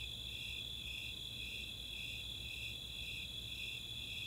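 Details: Brief stretch of a summer night chorus of Snowy Tree Crickets and Four-spotted Tree Crickets at Chautauqua, Boulder, Colorado: dense high trilling with blurred, overlapping pulses and a soft low hum.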